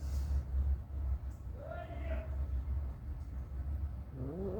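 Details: Mother cat staying close beside her newborn kittens; a drawn-out tonal meow that rises then levels off, followed near the end by a higher rising cry, over a constant low rumble and faint voices.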